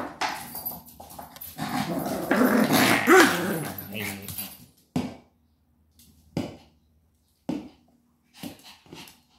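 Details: Maltese dog named Sora playing with a plastic bottle indoors: a rough, sustained growl over several seconds, followed by short, isolated noisy bursts separated by silence, with human voices mixed in.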